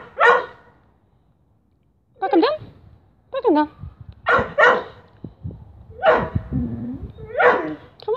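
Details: A whippet given a tripe stick puts on its habitual comic show before eating the treat. Loud barks alternate with high whining yelps that bend up and down, coming in quick bursts with short pauses.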